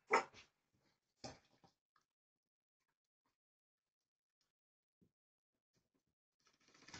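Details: A Jack Russell Terrier puppy from a Ukrainian kennel gives two short, sharp yips about a second apart, then goes quiet.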